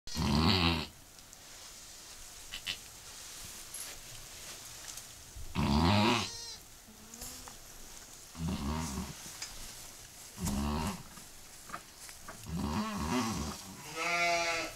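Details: Mother goat giving birth to her second kid moments after delivering her first: loud, deep, harmonic bleats and groans in separate bursts every few seconds, the last one higher and quavering, with quiet rustling between.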